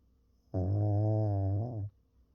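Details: Sleeping Pekingese dog snoring indoors: one drawn-out, low, rumbling harmonic snore of about 1.3 seconds, steady then slightly falling at the end, in a quiet room.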